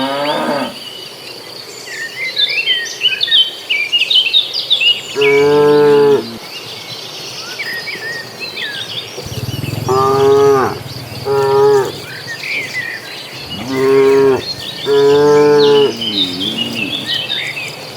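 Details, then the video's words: Cattle in a large herd heading to green pasture call with several long harmonic moos, some in quick pairs, spaced a few seconds apart, while birds twitter and insects trill continuously in the background. "Suara sapi lucu riang gembira"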